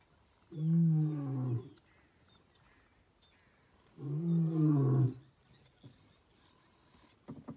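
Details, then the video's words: Giant male lion roaring as it passes a vehicle: two long, deep, harmonic-rich roars about a second each, separated by a three-second pause, followed by faint short grunts and a few clicks near the end. "Giant male lion roaring past vehicle"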